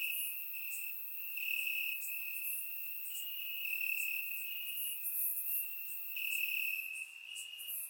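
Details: Night chorus of crickets chirping in grass in Bulgaria on a warm summer night; a continuous shrill trill swelling in loudness every second or so, with brief higher chirps scattered above, no other sounds.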